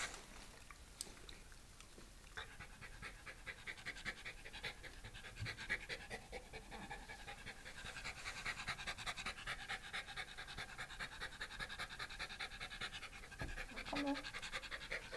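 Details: Pet Shiba Inu panting indoors while cared for by a visiting pet sitter, Shizuoka, Japan, 30 September 2018; rapid rhythmic huffing breaths run continuously for about fifteen seconds, with a faint short whine near the end.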